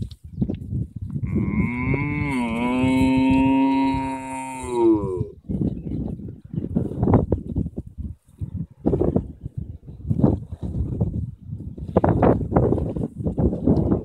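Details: Cow on a field in Ireland gives one long, drawn-out moo of about four seconds, a deep voiced tone that swells and then falls away, followed by choppy rustling and gusty noise.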